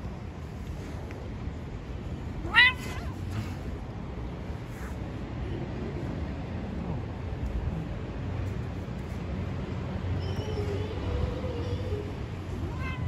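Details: Street-living cats talking to each other: a sudden sharp, loud cry early on, then a softer, drawn-out meow later, set against a continuous low hum of traffic in an urban street.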